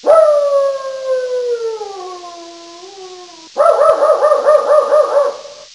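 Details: Dog in Coffs Harbour, New South Wales, Australia, giving a long, sliding howl that slowly falls in pitch over three seconds, then breaking into a fast run of high, strained, yelping barks.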